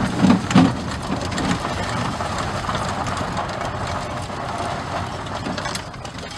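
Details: Steady engine and vehicle rumble with broadband road noise and a few louder knocks early on; no animal voice is heard.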